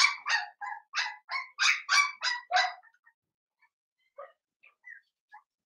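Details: Blenheim Cavalier King Charles Spaniel puppies, seven weeks old, in a home puppy pen: a litter of five born at New Year. A quick run of about eight high, sharp yips over three seconds, then a few faint scattered squeaks.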